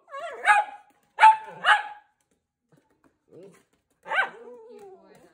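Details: Italian Greyhound kept as a pet on Awaji Island, Japan, "talking": a string of short yelping barks with tonal, voice-like whines, a brief gap, then one more bark trailing into a long falling moan.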